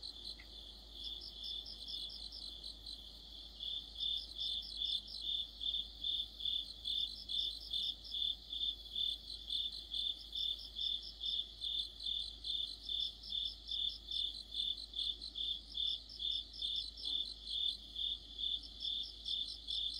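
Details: Autumn night chorus of crickets with other insects. The chirps start softer, then swell after a few seconds into loud, regular high pulses about twice a second. Shorter runs of shriller, rapid pulses recur every couple of seconds on top.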